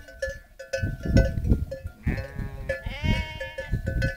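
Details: Romanov sheep returning to camp at sunset on the Erbaa highland pasture of Boğalı, accompanied by Kangal dogs; two drawn-out, trembling bleats in the second half, with rhythmic bell-like clinks and low trampling throughout.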